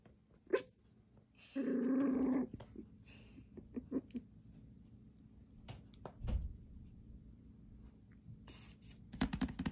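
A Mini Goldendoodle puppy gives a short, high, rumbling growl, followed by quiet rustling and soft knocks.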